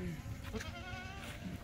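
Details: Barbari goats on a goat farm; a short, faint, quavering bleat with steady layered overtones over a low background rumble and murmur, followed by a sharp click at the end.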